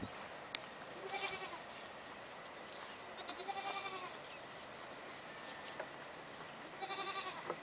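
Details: Painted long-haired pygmy goat, a calm big male, on a ranch: three wavering bleats with rich harmonics, about one every three seconds, over steady background hiss.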